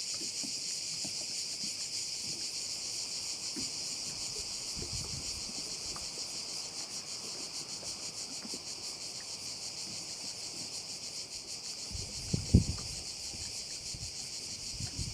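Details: Crickets at a bay on Korčula, Croatia, in a dense, steady high-pitched shrill chorus with a faint rapid pulse, over low wind and distant engine rumble, with a brief thump near the end.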